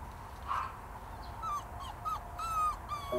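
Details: Puppy found at a redevelopment site in Gyeonggi Province, South Korea; thin, high whines hold level or slightly falling, several in quick succession over steady traffic rumble.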